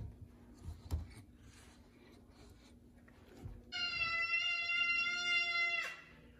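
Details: Large male F2 Savannah cat, very vocal, answering its owner indoors during a conversation about chicken; after a woman's question, one long, steady, flat-pitched meow lasting about two seconds, then it stops abruptly.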